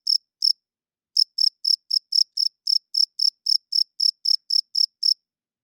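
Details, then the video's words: Loud nighttime cricket chirping: two high chirps, a pause of under a second, then a steady run of about sixteen bright chirps, roughly four per second, against complete silence. "Cricket Chirping Sounds - Cricket klinkt 's nachts luid"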